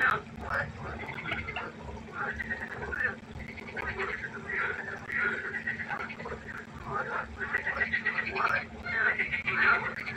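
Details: A night-time frog concert by a pond, with a dense, continuous chorus of rattling, pulsed croaks overlapping in waves and barely any pause between callers.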